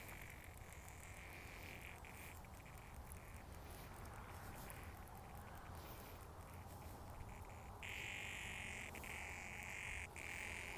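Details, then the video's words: Cicadas found on sidewalks in 2020: a steady buzzing drone near the middle of the range, growing louder and fuller in the last three seconds with a higher shimmering overtone, over constant low rumbling background noise. "Release the cicadas!"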